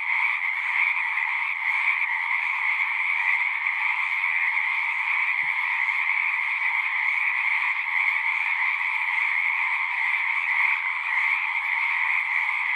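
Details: Many frogs singing together in a natural setting, forming a continuous shimmering drone of massed trills, bright and high with a weaker lower band, steady in loudness; one faint low thump near the middle.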